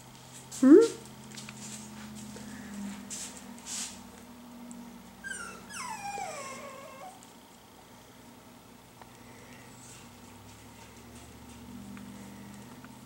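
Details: Chocolate-coloured Miniature Schnauzer puppies from Felicity and William's litter, learning to express themselves with sounds: a short upward whine, then a longer falling whine with bright harmonics, with a person speaking softly to them.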